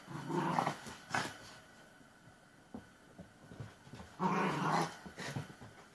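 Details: Hybrid puppies play together in a cluttered indoor room. Rough, noisy growl bursts come at the start, after about a second, and after about four seconds, with quieter scuffling in between.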